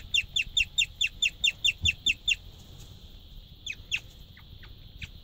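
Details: A pregnant white female guinea pig chirps just before feeding, a quick, high, birdlike series of short repeated notes.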